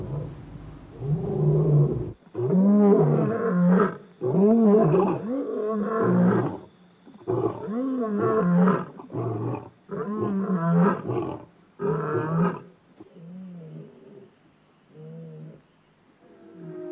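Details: African lion roaring in the wild at Kruger National Park near Shingwedzi: a full sequence of powerful arched moaning roars, roughly one a second, trailing into softer, spaced grunts that fade toward the end.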